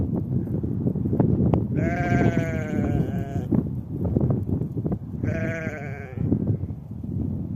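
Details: Sheep mother and lamb in spring on a grassy steppe: two strong, richly harmonic bleats, the first longer and quavering, the second shorter, with constant wind roar underneath.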